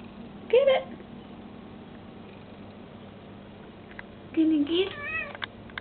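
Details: Domestic cat indoors trying to catch a moth, uttering a brief meow, then after a pause a longer dipping-then-rising meow with a faint trailing call and a few small clicks; constant low hum in the room.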